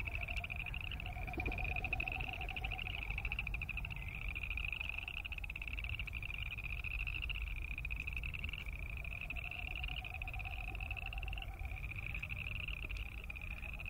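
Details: A continuous chorus of boreal chorus frogs, their rapid ratcheting trills overlapping without a break. A softer, lower wavering pulse comes and goes over a constant low rumble.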